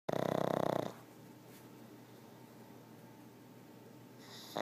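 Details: Pug snoring very loudly: one long rasping, rapidly pulsed inhaled snore lasting about a second, then quiet breathing and a faint start of the next snore at the end.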